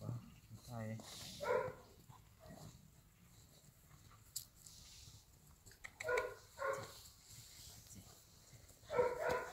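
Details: Golden Retriever puppies at play give short, bright, harmonic yips and barks in scattered bursts, two close together midway and another near the end, with soft rustling and thumps between.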